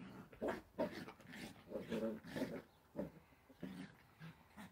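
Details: Playful Dachshund, a sausage dog, giving a run of short gruff vocal bursts, low and throaty, in irregular clusters across about five seconds with brief quiet gaps between them.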